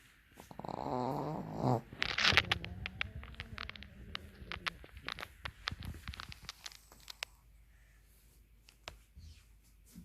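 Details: A Pekingese snoring with its eyes open gives a low, rumbling snore, followed by scattered soft clicks and rustles.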